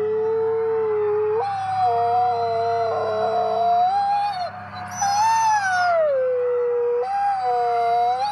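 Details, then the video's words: Group howl by 50 wolves at the Wolf Conservation Center, South Salem, New York: two or more steady howls at separate pitches, a rough louder passage in the middle, a high thin voice entering briefly, then a sliding descending howl. "When All 50 Wolves Howl"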